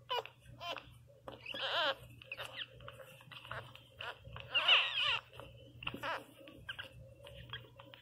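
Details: A newborn Pinscher puppy crying: short, uneven squealing bursts with quavering pitch, two louder cries standing out among fainter whimpers and small clicks, over a steady low hum.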